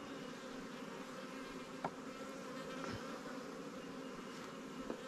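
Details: Recently captured honey bee swarms housed in Langstroth and Warre hives at a beekeeping apiary give a dense, low, continuous buzz with a faint tonal edge, punctuated by a couple of small ticks.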